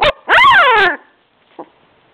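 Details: Labrador Retriever pups aged two weeks: a short squeak, then a loud, rising-and-falling whining cry lasting under a second, followed by a faint brief squeak after a pause.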